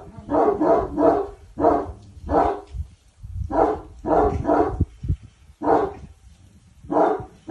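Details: Boçi the Cane Corso, being taught commands, barks in quick pairs and triples, each deep woofing cluster separated by short pauses, with low thuds in between.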